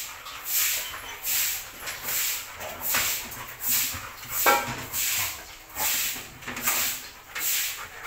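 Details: Belgian Malinois busy with a bone pants in steady breathy bursts, about eighty per minute, with a faint short whine partway through.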